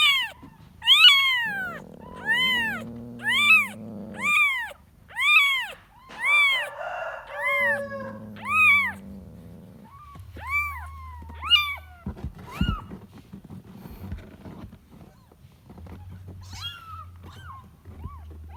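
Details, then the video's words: Kitten looking for its mother, giving high, arched meows in a quick, uneven series for about twelve seconds. A few buzzier, lower-pitched cries are mixed in, and the calls then thin out into scattered short squeaks. "The sound of a kitten looking for its mother"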